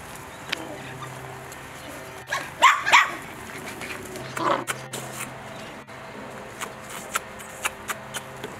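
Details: Mini doodle puppies, Bordoodle crossed with cavoodle, at play over breakfast: a quick cluster of squealing yips, then a softer whine, followed by scattered clicks and taps.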